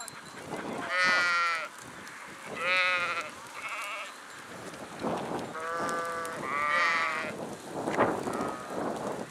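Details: Sheep in a flock giving loud, wavering bleats, about five calls spaced one to two seconds apart, each a shaky nasal tone, over a low shuffling background.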